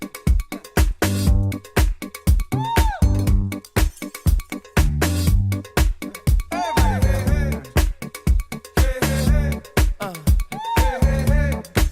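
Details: Upbeat funk-style music with a steady thumping beat, bass line and gliding melodic phrases, with no animal sound.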